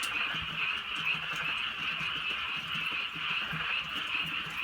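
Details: Frogs calling at night in the countryside during light drizzle: a dense, unbroken chorus of many callers forms a steady high trilling wash, with low pulsed croaks underneath and scattered soft ticks of rain.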